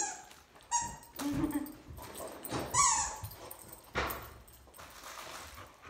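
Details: Dolly, a female Labrador Retriever, refuses to share her toy during play. She gives a few short, high whining squeals with bright harmonics, separated by brief pauses, over rustling and light household noise.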